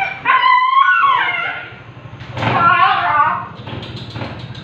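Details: Siberian Husky during artificial insemination: two drawn-out harmonic whines, the first wavering then falling, a second fuller cry after a pause, over low background rumble.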